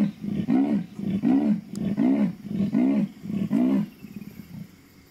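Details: Leopard, a female, heard at sundown in Mashatu on muddy ground after rain: a steady run of about six hoarse, low sawing grunts, evenly paced, with each stroke rising and falling before fading out.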